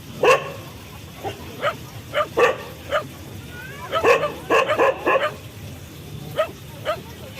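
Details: Barking dog gives repeated yappy barks at irregular intervals, clustered in fast runs of two to four, with a brief whine in the middle and a low background hum.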